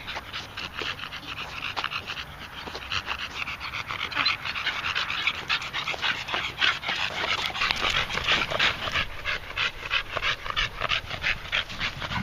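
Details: Male red Staffordshire bull terrier out of breath after a walk around the field: fast, rough breathy panting at about three huffs per second, continuing evenly throughout.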